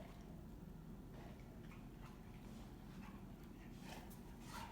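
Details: Two female Rottweilers playing together, arguing over who is tougher; one gives low, rumbling play growls with a few soft huffs mixed in.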